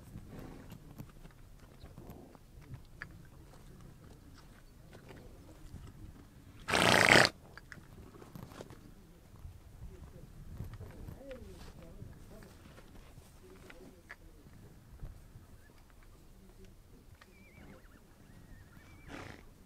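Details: Horses on the Mongolian steppe; a single loud, breathy noise-like burst lasting about half a second stands out midway, with faint shuffling and quiet background sounds around it.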